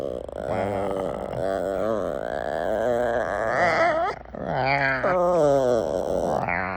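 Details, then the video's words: Female puppy making a weird noise when she wants attention: a continuous loud, wavering, yodel-like whine with many harmonics, sliding up and down in pitch, briefly dropping out near four seconds before resuming. "Weird Noise My Puppy Makes When She Wants Attention"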